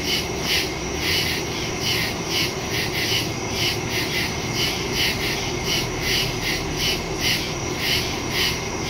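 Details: Night chorus of crickets in the woods, taped September 2, 2023 with a phone and Shure MV88+ stereo mic: shrill, evenly pulsed chirping, roughly two beats a second, layered on a continuous high drone.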